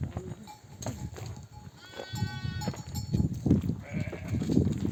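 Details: Ewes returning from pasture with a nomadic flock call lambs to nurse; a few quavering bleats amid heavy hoof shuffling and low rumbling, brief human voices nearby.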